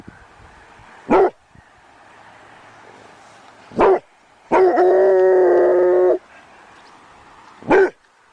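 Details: Begging dog gives three short, separate barks, with a drawn-out, steady whining cry of about one and a half seconds in the middle. Quiet pauses fall between the calls.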